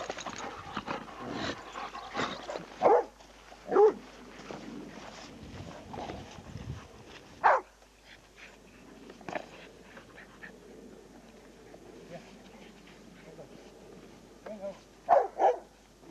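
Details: Male pet dogs on a spring 2002 outing at Whitelees Woods bark in scattered short bursts, loud double barks near the start and end, with softer yelps, rustling and movement noise between.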